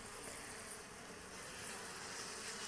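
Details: Native honey bees around their hive box during a honey harvest, smoked to drive them off the frames; a steady, dense buzzing hum with faint low droning tones runs evenly throughout.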